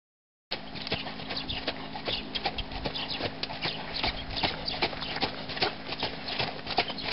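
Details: Four-year-old stallion moving, with hoofbeats heard as sharp, evenly spaced clicks and thuds, roughly two to three per second, over a steady background hum.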